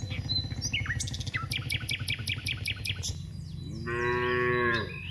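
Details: Cows walking from the rice fields to the village; one drawn-out harmonic moo near the end over steady low hoof and engine-like rumble, with bird chirps and clicking sounds early on.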